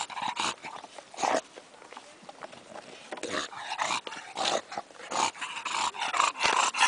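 An English bulldog snorts, grumbles and pants in rough, noisy bursts in a small room.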